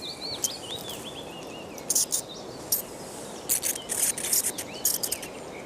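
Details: Natterer's bats, still quite active and warm, give thin, high squeaks and looping chirps from a crowded bat box opened during a survey.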